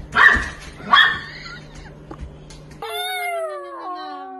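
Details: Pomeranian giving two sharp, high barks in quick succession near the start, then quieter rustling before music takes over.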